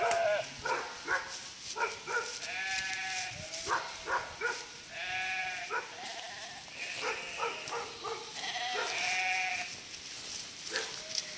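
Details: Many sheep bleating as a border collie herds a flock of around 1000 across a narrow part of a river; a dense, continuous chorus of quavering, harmonic bleats, some long and tremulous, others short, from many animals at once.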